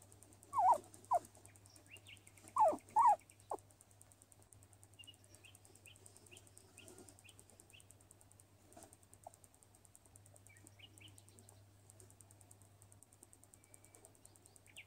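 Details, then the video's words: Sunbathing skinny guinea pig Luis lets out a few loud, sharply falling squeaks in the first seconds, followed by near quiet with faint soft chirp series in the background. "Guinea Pig LUIS Sounds 🎶 While Sunbathing 🌞"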